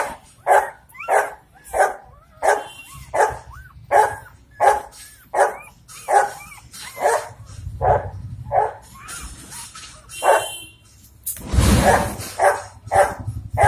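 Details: Four-day-old Dogo Argentino puppies in Delhi NCR, India, giving a steady run of rapid, rasping squeals, roughly one every half second, with upward-curving whines woven through. A burst of rustling or handling noise interrupts near the end.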